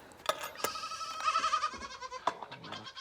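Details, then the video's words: On a cold winter morning, two young farm goats waiting in their enclosure to be let out give wavering nasal bleats, each held about half a second, repeated among sharp knocks and rustling. "I can hear the goats. They are ready to get out this morning."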